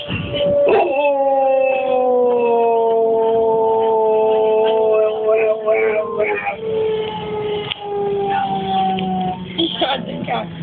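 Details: Pet Labrador Retriever howling along to the starting noise of an S-Bahn train: a long sustained tonal howl slowly falling in pitch over about nine seconds, with a rich stack of harmonics, breaking up near the end amid background rumble.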